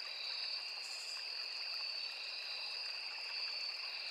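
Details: Crickets calling in a forest beside a small river: a steady, unbroken high-pitched trill in two bright tones, one shrill and one lower, with no pauses, over a faint soft hiss.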